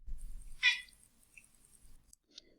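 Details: Domestic cat giving a single chirp followed by a very short chatter, described as a hunting instinct sound; one bright brief chirp near the start, a faint click later, then quiet room noise.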